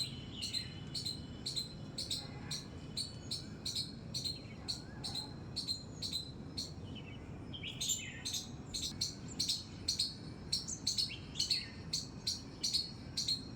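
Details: Squirrel in a terrace garden among flowers, giving high, sharp squeaks repeated in quick bursts of about two per second, with a faster, more excited run of squeaks near the end.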